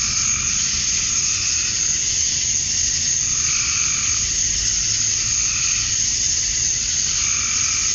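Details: Cicadas on a summer evening in Georgia, USA; the males chirp to attract females. A constant sizzling high buzz carries throughout, punctuated by rhythmic mid-pitched pulses roughly every one to two seconds over low background noise.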